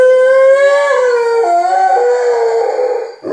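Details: Alaskan Malamute indoors howling to let people outside know it is in the house; a sustained, loud tonal howl, steady then dipping and wavering in pitch, with several short breaks, ending abruptly.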